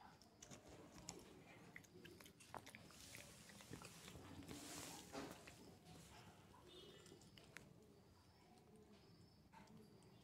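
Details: A male Shih Tzu pup gnaws a chew stick in a small room: a steady run of soft crackly bites and sharp clicks, briefly denser and louder near the middle, over faint background hum.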